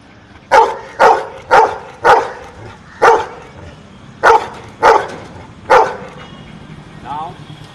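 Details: A pet dog barks out answers to spoken arithmetic questions. Eight loud, clipped barks come in an irregular run of roughly half-second spacing with a longer pause midway. A voice speaks briefly near the end.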